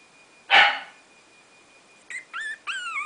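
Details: Three-week-old Brazilian Terrier puppies: one sharp, loud yip, then after a pause three short, high whimpering squeals, each wavering and bending in pitch, over a quiet background.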